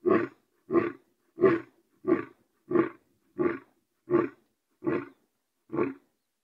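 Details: A lion delivers repetitive roars as a run of nine gruff, husky grunts at an even pace of roughly one every 0.7 seconds, deep and resonant, with no other sounds.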